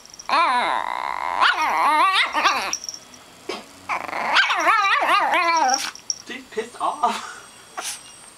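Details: Three-pound, fully grown female micro Shih Tzu, two years old, protesting the removal of her chicken wing with clusters of rapid, high-pitched yapping barks and snarls, pausing between volleys, with a few softer yips near the end.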